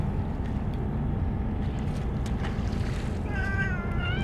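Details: Stray cats gathered in larger numbers than usual, fed only Churu treats after the Kalkan and dishes were forgotten; a wavering harmonic meow rises near the end over a heavy low rumble of wind or traffic.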